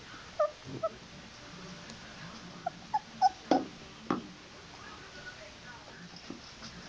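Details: Old English Sheepdog puppy, not yet on solid food, out of the whelping box and looking for more food; short high squeaky whimpers, about six brief separate yelps over several seconds, with quiet room background.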